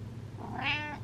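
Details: Pet cat giving an attention-seeking meow inside a home, one brief tonal call with rich harmonics that swells and fades within half a second, low hum underneath and a person speaking just before and after.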